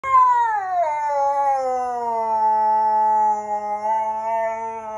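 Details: Siberian Husky indoors, angry one minute after coming inside from a walk: a long sustained howl, sliding down from a higher opening note and then holding a steady, rich pitch with small wavers.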